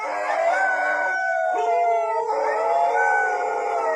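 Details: Several dogs howling loudly together, four dogs shown: overlapping sustained harmonic howls, some wavering and some slowly rising, forming a continuous chorus.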